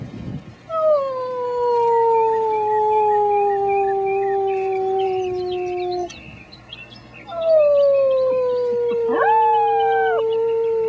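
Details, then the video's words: Two long, slowly falling howls, each held for several seconds, from six-week-old German Shepherd puppies singing along with a human, with faint higher yips over the second. "German Shepherd puppies sing the blues"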